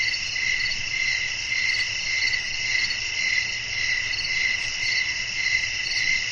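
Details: Night-time cricket chorus from a calming sleep soundscape. Dense, even high-pitched chirping pulses about twice per second without pause, over a soft low background hum.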